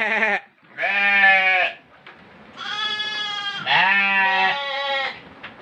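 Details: Goat destined for the Qurban sacrifice, filmed for children's fun; a series of four shaky, harmonic bleats of varying length, the middle ones running almost together, with brief quiet gaps between.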